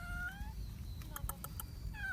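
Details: A baby street cat (kitten), fed chicken breast after a long time apart, makes a strange eating sound: thin, slightly falling mewing cries with clicky chewing sounds between them.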